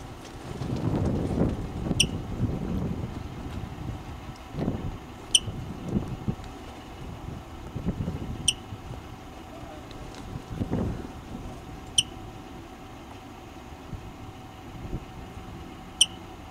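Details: A woodchuck sits on a trailer wheel giving sharp, high chirps every three to four seconds over low wind and traffic rumble. The observer could not tell whether it was hurt.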